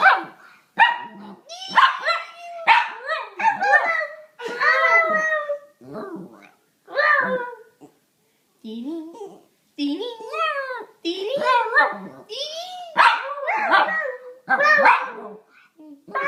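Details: Pet dog making weird noises while playing, responding to a person's playful noises: bursts of yelping, whining barks with rising and falling tonal yelps in quick irregular runs, mixed with human vocal noises indoors.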